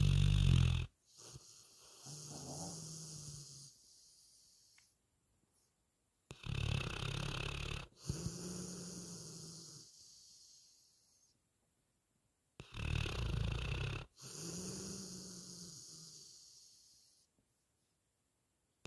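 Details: Retriever named Lucy snoring in her sleep: three cycles of deep, rattling, wheezy breaths about every six seconds. Each cycle is a loud sharp intake followed by a longer, softer, fading rumble, with silent pauses between.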